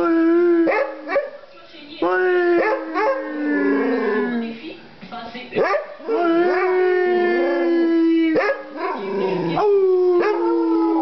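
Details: Basset Hound named Molly howling in long, sustained, slightly falling tones, broken by brief yelps and breaths between phrases, several howls across the stretch.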